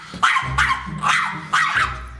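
A small dog gives about five sharp, high barks in quick succession, roughly two a second, over a low musical drone.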